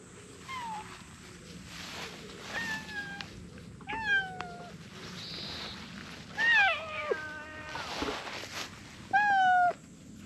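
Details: Two look-alike cream-coloured cats in a staring standoff: a series of tonal meows, some bending down in pitch and some flat and drawn out, spaced a few seconds apart over a quiet, hissy background.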